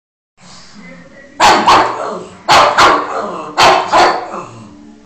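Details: A pug barking at Spiderman gives three quick double bursts, each sharp woof followed closely by a second.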